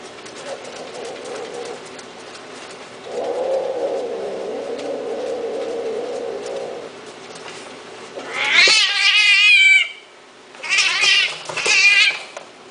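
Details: Himalayan kittens indoors: after several seconds of steady low droning background, loud, high, wavering meows break out, one long cry followed by two shorter rising-falling mews in quick succession.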